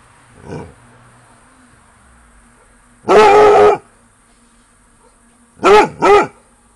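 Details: A Basset Hound barks into the night near a bungalow at 22:00 during summer holidays, reacting to activity nearby, giving one long, rich bay followed by two quick barks that rise and fall in pitch.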